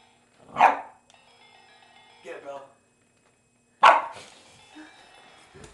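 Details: Boston Terrier named Bella barking indoors at a toy Sailor Moon crescent moon wand she dislikes; two sharp barks about three seconds apart, with electronic toy chiming and music between them.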